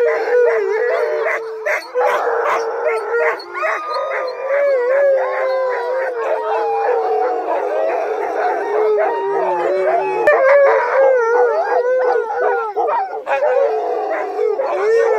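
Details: Husky-mix sled dogs howl on a snowy night. Many voices overlap in a dense, continuous chorus of wobbling, sliding howls mixed with rapid yips and squeals for the whole stretch.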